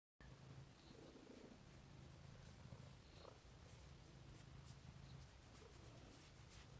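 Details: Domestic cat purring while cuddling, a soft low rumbling purr in steady pulsing stretches with brief pauses for breath, quiet and close, faint rustles in the background.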